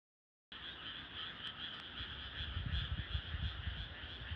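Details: Frogs calling at night in countryside rice paddies in clear air; a dense, continuous chorus of rapid trilling calls with two steady high bands, plus low rough croaks thickening toward the end.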